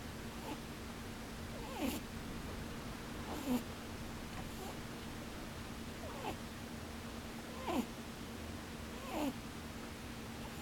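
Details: Pet rabbit asleep with open eyes, giving 'poo-poo, boo-boo' snores. Faint falling snorts recur roughly every one and a half seconds above a steady low hum in a quiet room.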